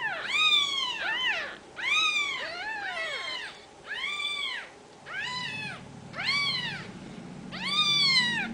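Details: Kittens of the Ragdoll breed, home-raised at a central Kansas cattery, give a steady series of loud, high arched meows, roughly one per second, with multiple kittens overlapping and a faint low hum beneath.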